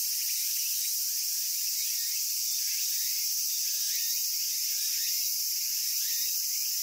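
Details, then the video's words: Cicadas in Japan producing a hissing high-pitched wall of sound, steady and unbroken, with faint short upward chirps or squeaks scattered underneath from other calling insects or birds. "Cicada Sounds and Cicada Songs with My Cicada-Photos"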